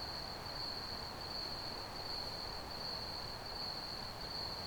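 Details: Steady shrill trilling of crickets, one high ringing note rapidly pulsed and sustained throughout, set against a dense layer of low background rumble and hiss.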